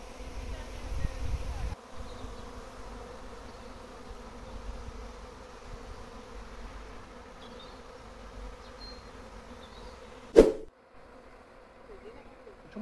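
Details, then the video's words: Large bee swarm in a backyard garden, later taken away by a local beekeeper: a continuous, even, humming drone holds throughout, broken by a sharp click near the end, with faint distant bird notes. "Massive BEE swarm in Garden"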